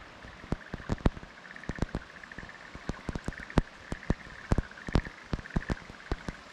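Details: Black-spotted pond frogs calling in a fallow rice field at Kumakogen, Japan, on 15 May 2022; soft pulsed trilling croaks run almost continuously, broken by frequent sharp clicks and taps.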